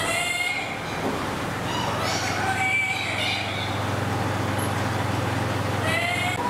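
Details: Ring-tailed lemur at Nasu World Monkey Park, Tochigi, Japan, on 7 December 2018, giving plaintive, meow-like wails with rich overtones: one at the start, another around two to three seconds, and a last near the end, over a steady low hum.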